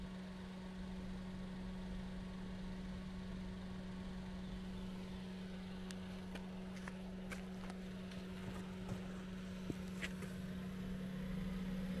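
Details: A steady low engine-like hum with a constant tone runs throughout, joined by a few faint scattered clicks and taps in the second half.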